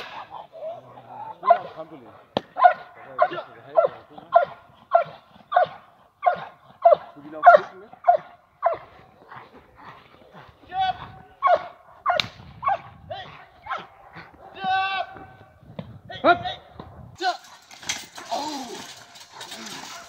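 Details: Nadja de la Arena, a Perro de Presa Canario, barking during Schutzhund-style protection training with a decoy at a working dog club. Deep, forceful barks come in a steady series, roughly one every half second to second, with brief pauses near the end.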